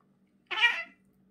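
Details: A domestic cat meows once while having its teeth brushed indoors: a single short, bright, harmonic meow of about half a second in a quiet small room.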